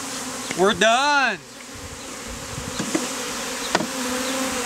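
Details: Honey bees clustered as a living bee beard on a man, taken from a hive removed out of a statue, in the heat; a brief spoken phrase gives way to a steady, droning hum with a low pitch and an even overtone above it.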